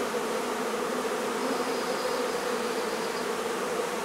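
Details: Honey bee hive being removed from a barn in La Feria, Texas: a dense, steady buzzing drone of many bees, a continuous hum centred low with a bright band around five hundred, unbroken for the whole stretch.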